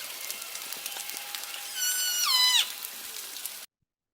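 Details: A Northern Resident killer whale gives one strong harmonic call that holds steady, then bends sharply downward at its end; said to be a G Clan call, likened to donkeys.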